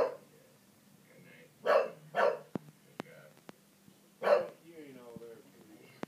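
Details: Three-year-old English Bulldog barking at the TV indoors: three deep, gruff barks around 1.7, 2.2 and 4.3 seconds, with sharp clicks and faint background chatter between them.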